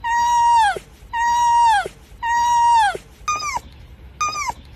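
A fox gives a run of clear, whining calls, each holding steady and then dropping away sharply.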